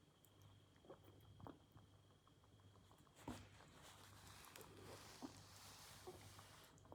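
A rabbit makes soft, scattered clicks and smacking sounds while drinking, over a steady low indoor hum.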